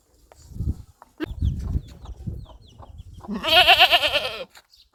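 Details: Goat giving one quavering, vibrato-laden bleat near the end, preceded by scattered thumps, shuffling and faint chirps in the background.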